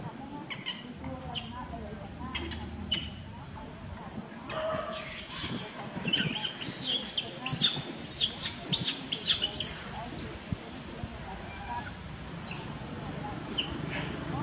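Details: Newborn baby monkey, unhappy at being held back from playing by its mother, gives thin high-pitched squeaks and chirps, scattered early then packed in a rapid cluster mid-clip, over a low background murmur.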